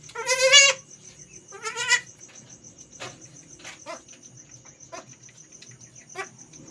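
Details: Domestic goat kept at home, giving birth for the first time, with the newborn kid now stronger and suckling; two loud wavering, quavering bleats early on, then quieter clicks and knocks over a steady high cricket trill.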